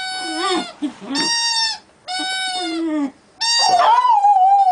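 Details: American Staffordshire Terrier howling like a wolf: four drawn-out, wavering tones with rich overtones, separated by short silences, the last a long, steady, slightly falling howl.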